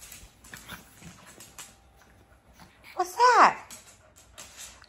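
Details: Four-month-old pug puppy named Owie giving one short arching howl-like vocalization with rising then falling pitch, lasting about half a second, amid quiet background rustling.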